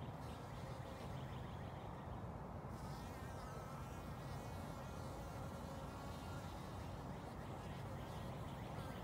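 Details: Honey bees drinking water in spring from a shallow bucket lid, March 29th 2021; a low, steady droning buzz hums throughout, with no clear breaks, over a soft outdoor background.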